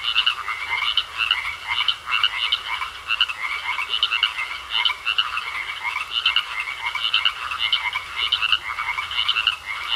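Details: Chorus of croaking frogs in a pond, rapid grating pulses layered from many callers, continuous and fairly even in loudness, no other clear sounds besides a faint steady hum-like tone.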